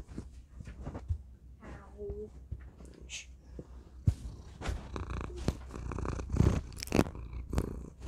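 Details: A domestic cat named Thor purring right into a tiny microphone indoors; a low rumbling purr runs under loud crackling handling noise, with a brief voice and a faint meow-like tone midway.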